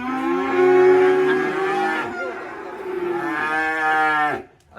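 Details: Black sacrificial cattle (sapi kurban) being unloaded from a truck at a rural pen: a loud, drawn-out harmonic moo lasting about four seconds, wavering in pitch, with a brief second swell before it cuts off abruptly.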